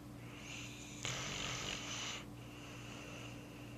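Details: A sleeping pet dog named Roscoe snores on the couch after a hard day: one loud, hissing, wheezy breath lasting about a second, set against a constant faint electrical hum.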